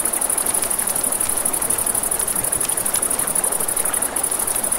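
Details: Crickets at night beside a river, a steady very high-pitched shimmering trill pulsing rapidly without pause, over a broad rushing wash of flowing river water, with faint crackles from a campfire.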